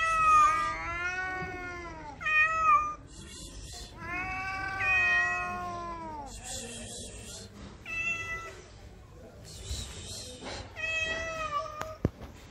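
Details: Stray cat in Morocco, in heat and sexually aroused, giving long drawn-out harmonic meows, some wavering and falling, others short and rising, in a run of about a dozen calls with brief pauses.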